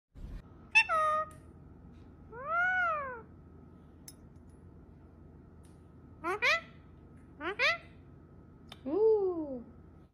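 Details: Pet cat indoors giving five separate meows over ten seconds: a sharp opening cry, a long arched meow, two quick rising chirps, and a final falling meow, with faint room hum between.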